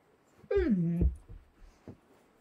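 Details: A female Doberman dog indoors whimpering while trying to get a Bengal cat to play with her: one drawn-out whine falling from high to low pitch over half a second, followed by soft thuds and faint noises.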